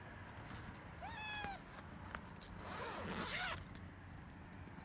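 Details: Two three-month-old rescued kittens, Kinako (brown male) and Anko (grey female), call from their cage in the morning, demanding to be let out: a high, harmonic-rich meow, then a second arching meow, over clinking and rattling.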